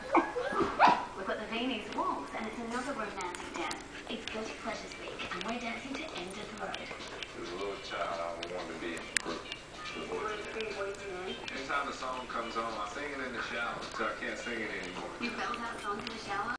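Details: Two 14-week-old goldendoodle puppy brothers, Zeke and Obe, squabbling over a bone: continuous overlapping vocal growls, whines and yips with wavering, harmonic pitch contours, dense and irregular throughout, with brief sharper bursts near one and nine seconds.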